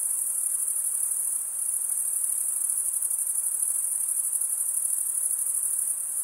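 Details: Crickets chirping by stridulation, mostly males, forming an unbroken shrill high trill with a faint fast pulsing texture, about ninety-odd pulses a minute, over a soft background hiss.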